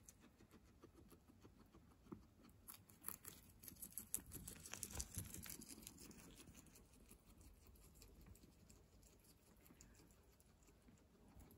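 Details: Fresh herbs being munched by guinea pigs: rapid crunchy chewing and leaf rustling that build to a louder burst midway, then settle into steady soft nibbling.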